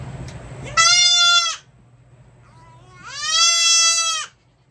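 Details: Baby goat kids bleating while their hooves are trimmed: two long, high, wavering bleats with rich harmonics, the second one rising slightly at its start, separated by a short pause with a faint low hum in the background.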